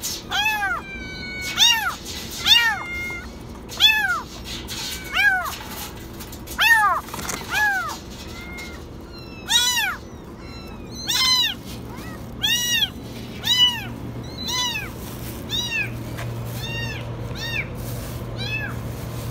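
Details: Kitten stuck in a washing machine, meowing very high: rapid series of shrill, arched meows, about a dozen in quick succession, some overlapping, over a steady low mechanical hum.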